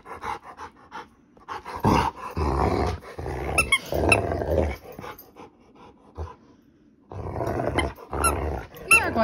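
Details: Moody female Rottweiler, told she acts vicious and needs to calm down, lets out gravelly growling bursts mixed with high squeaky whines, separated by a long silent stretch.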